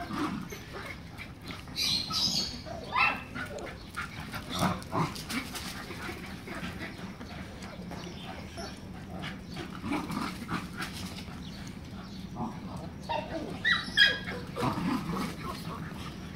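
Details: A black Miniature Schnauzer puppy gives short, sharp barks in irregular bursts over steady low background noise.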